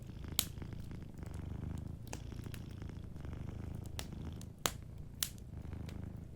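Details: Gentle purring from a sleeping cat by a cozy fireplace, a deep, even throb in rhythmic waves, broken by bright snaps of burning wood.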